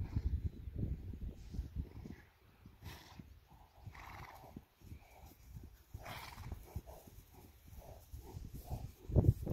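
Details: Friesian horses, a herd of yearlings and two-year-olds standing in a pasture on August 31, 2019, scared of bumps in the meadow; short harmonic whinnying calls rise out of low rumbling outdoor noise, with a few soft snorts between them.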